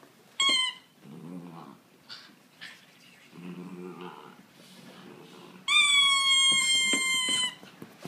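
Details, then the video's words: Italian Greyhound, also called Italian whippet, singing indoors: two sustained high-pitched howling notes with rich harmonics, each held almost level in pitch, the second longer at about two seconds, separated by soft low murmuring sounds. "Italian whippet singing - Italian Greyhound"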